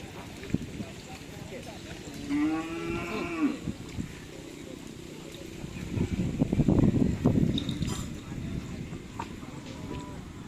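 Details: Cattle at a Karapan Sapi bull-racing training session at the Asemanis field in Madura, with newly added bulls; one drawn-out, low moo rises then falls about two seconds in, followed by knocks, bursts of crowd noise and voices.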